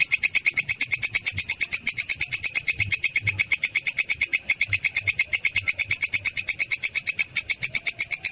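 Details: Belalang kecek or kerik grasshopper, recorded for teaching songbirds: an unbroken run of shrill, raspy pulses, close to three per second, very even and loud throughout, with faint low background rumble.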